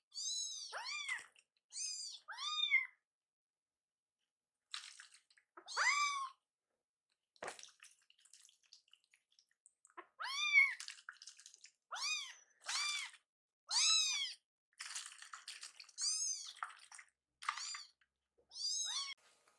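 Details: Two orphaned foster kittens, hungry and upset over a slow feeding, keep up a string of short, strained meows, about a dozen in bursts with a brief quiet gap midway, plus scattered clicks and rustles.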